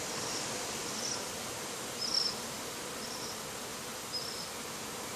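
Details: Japanese honey bees in panic at a hive entrance, disturbed by bonfire smoke from ten metres away; an even, broad buzzing drone throughout, with a few thin high chirps.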